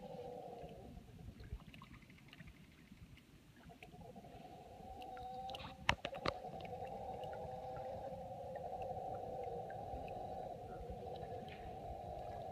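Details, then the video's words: Two troops of mantled howler monkeys aggressively howling at each other across the Tortuguero River near Tortuguero, Costa Rica, heard from a canoe; a steady, droning chorus of distant roars, with a few sharp knocks near the middle. "Howler Monkey troop dispute"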